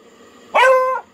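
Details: A female beagle, coaxed in the morning to say good morning to singing birds, gives one clear, tonal bark about half a second long that starts sharply, holds a steady mid pitch, then eases slightly downward.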